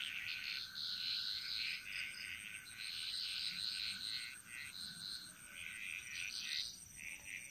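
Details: Frog chorus echoing through a jungle in Bali, Indonesia: dense, rapid rattling croaks from several callers overlapping almost without pause, over a constant high insect hum.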